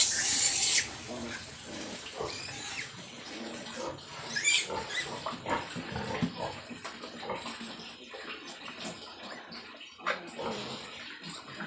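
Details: Newborn piglets just after a sow farrowed a litter of 13, giving scattered short, harsh high squeals and grunts under a man talking in Filipino, with rustling and handling noise throughout.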